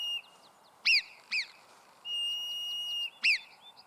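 A marmot gives sharp, high-pitched whistles that drop quickly in pitch, warning others of danger.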